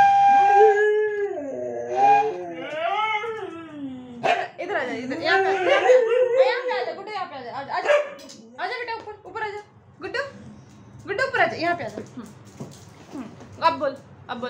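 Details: Pet dog howling along as a flute is played, wavering sliding howls rising and falling over several seconds, then broken yips and whines mixed with human voices and laughter.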